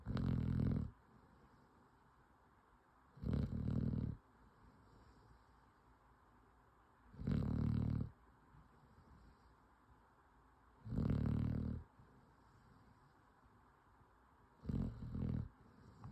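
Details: A worn-out bloodhound puppy sleeps and snores, each deep rumbling breath arriving roughly every four seconds.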